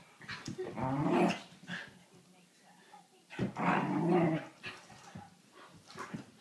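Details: During play, a whippet produces two strong growling bursts about two seconds apart, each harmonic and throaty, followed by softer grumbles and scuffles.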